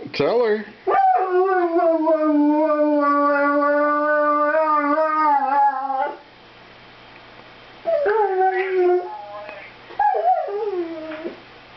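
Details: Airedale terrier 'singing' while talking with its owner on the phone indoors: a long steady wavering howl of about five seconds, then two shorter howls with rising and falling tones, and a person speaking in between.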